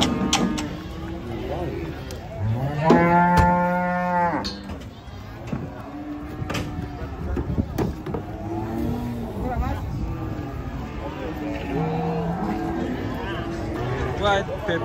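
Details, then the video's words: Agitated cattle coming down off a truck in Indonesia, one animal raging; a loud, rich moo around the third second with stacked harmonics, then fainter, shorter lows among chatter from handlers and background rumble. "SAPI LUCU NGAMUK TURUN DARI TRUK LANGSUNG MELUCUR"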